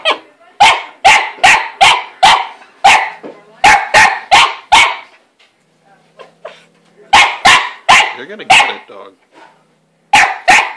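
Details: {'caption': 'Domestic dog Chester barking at the cat Lizzie hiding in her play house: fast runs of loud, sharp barks, roughly two or three a second, broken by a pause of about two seconds.'}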